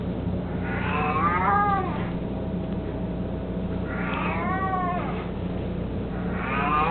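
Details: Eighteen-year-old house cat Mico, mostly blind and chubby, fond of his toy mouse, gives three arching meows that rise and fall, roughly every two and a half seconds, with a constant low background hum.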